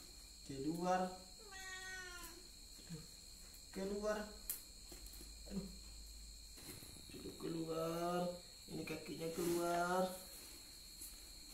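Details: A mother cat reacting to something inside a helmet, indoors: several drawn-out, wavering meows with rich harmonics, in separate bursts, with quiet speech and a steady electrical whine in the background.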